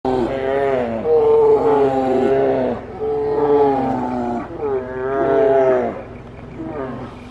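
Grizzly bears roar and bawl in loud, harmonic bursts as they fight.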